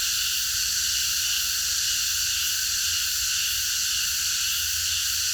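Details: Park at night filled with a cicada chorus, a steady piercing high buzz in stacked bands, with brief faint low sounds in the background.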